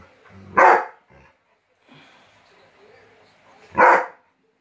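A Rottweiler gives two loud, deep single barks about three seconds apart.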